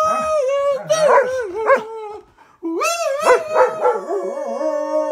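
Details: A German Shepherd howls along to the song YMCA in long, wavering, yodel-like tones that rise and fall over the music.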